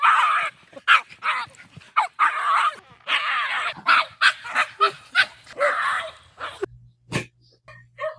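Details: Quiet indoor male dog that seldom gives a 'woof', reacting to other dogs' provocation or noises with a lonely, shrill cry; a rapid run of bright yelping pulses and wavering notes, ending in a sharp knock.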